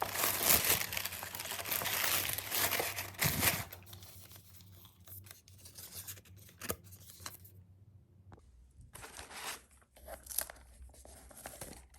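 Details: Paper and packaging tear and crinkle loudly indoors in a small room, then quieter rustles and clicks follow with scattered handling noises.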